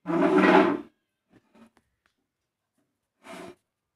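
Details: Playful Indian pariah dog letting out a loud, rough, growling bark that lasts nearly a second. A few faint knocks follow, then a shorter, quieter second burst after a pause.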